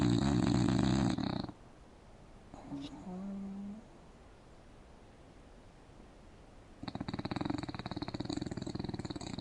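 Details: English bulldog asleep indoors on a couch with its mouth open, snoring: a loud, rattling, fluttering snore at the start, a quiet pause with faint soft sounds, then another long vibrating snore near the end.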